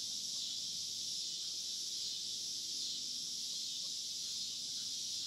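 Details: Farm cicadas fill the air with a constant, intense high-pitched buzz, unchanging from start to finish, with only faint low background sound.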